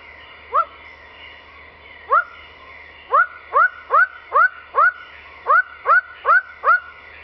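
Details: Glandular frog (Rana glandulosa) recorded in Mulu National Park, Borneo, giving a series of short, nasal, upswept honking notes, about two or three each second.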